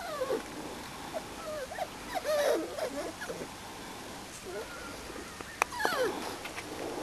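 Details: Four-and-a-half-week-old Springer Spaniel puppies on their first outing outdoors; wavering, bending whines from several pups, dense early on, then sparse short squeaks with a sharp tap.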